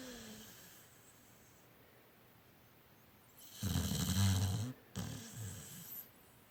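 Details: Pit Bull asleep, giving two low snoring breaths near the end after a long quiet stretch, the first longer and louder, the second shorter.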